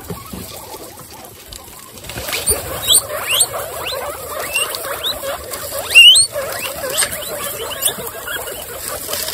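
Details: Excited female guinea pigs from a group of 26 stand up and wheek, giving many quick rising squeals that overlap, with one loud piercing upward whistle near the middle and soft rustling underneath.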